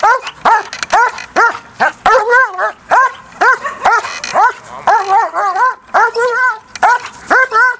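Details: DDR German Shepherd Briska, a female, during an early bite training session focused on the agitator: rapid, high-pitched barks with rising-falling harmonic arcs, about two per second, steady and insistent throughout.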